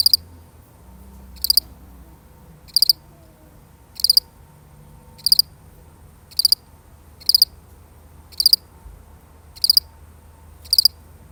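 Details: Single lone cricket, genuinely recorded, chirping steadily: nine crisp high double-pulsed chirps repeated about every one and a quarter seconds in a very regular rhythm, with only soft low rumble behind.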